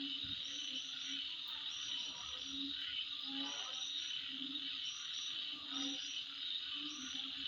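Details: At midnight, insects keep up an unbroken high buzzing, with brief piercing chirps above and occasional low, croak-like pulses.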